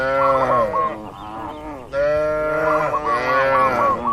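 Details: Cattle kept in a farm barn give two drawn-out, rich moos, the second swelling louder and holding steady. Brief high chirping notes run over both calls.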